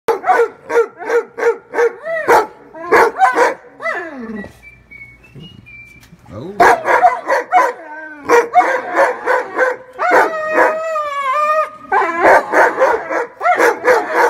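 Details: Weimaraner; barks and whines; jealousy over another dog getting attention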